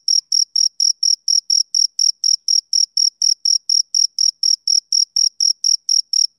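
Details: Steady chirping from a male cricket in summer evening: sharp, shrill pulses about four per second, evenly spaced, with a thin upper overtone and an otherwise silent background.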